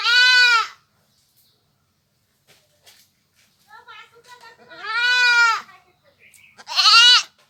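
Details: Three strong nasal bleats from a village goat, a brief one at the start and two more near the end, separated by silence and soft shuffling noises.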